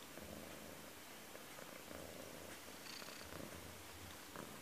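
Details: Persian cat named Cello purring while playing with a camera held in front of him: a low, steady rumble that pulses in and out through the whole stretch over a soft background hiss.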